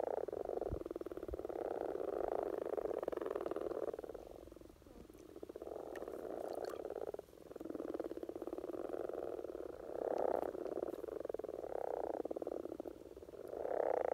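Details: Common frog courtship chorus in Norway in spring, a long stretch of massed low purring croaks, fading twice to quieter patches before resuming in dense overlapping bursts, with occasional faint knocks.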